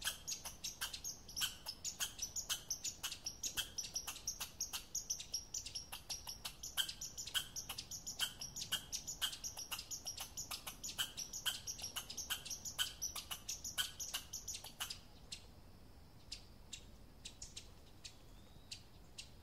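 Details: American red squirrel, Tamiasciurus hudsonicus, of North American woodlands: a rapid, dry clicking chatter of sharp high ticks, dense and steady for about fifteen seconds, then thinning to scattered single clicks over a quiet background.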